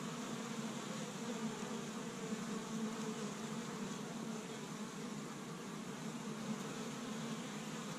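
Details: Many honey bees at a busy established Michigan hive on the first warm day of spring, foraging pollen from tree buds; a continuous low hum that wavers slightly in loudness, layered with soft higher overtones.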